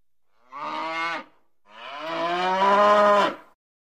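A cow gives two loud, drawn-out moos, the second longer and rising slightly before breaking off.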